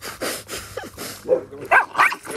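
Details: Podenco Andaluz puppies giving a run of short, squeaky whimpers and yelps, several high, bending notes in quick succession with small pauses between them.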